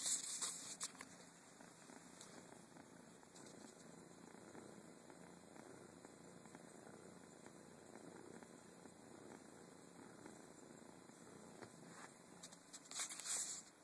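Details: Domestic cat from an adopted family of tortoiseshell and Siamese cats, purring softly and steadily throughout as a low, even rumble, with brief rustling sounds at the very start and near the end.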